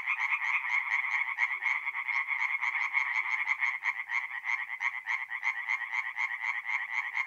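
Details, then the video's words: Night chorus of singing tree frogs at a forest pond in north-east Italy in April, with fast, regular, harsh croaking notes pulsing several times per second from multiple frogs, steady and loud. "relaxing forest pond by night with singing tree frogs"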